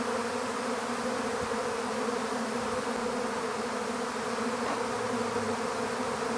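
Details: Steady massed humming from a honeybee swarm as it is captured in an empty hive, constant throughout with low banded tones, a few light knocks and a short low rumble near the end.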